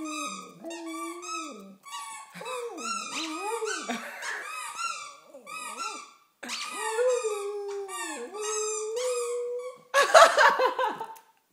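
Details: Pet dog "singing" to squeaky toy accompaniment: long wavering howls, rising and falling in pitch, broken into several drawn-out phrases, ending with a burst of harsh squeaking.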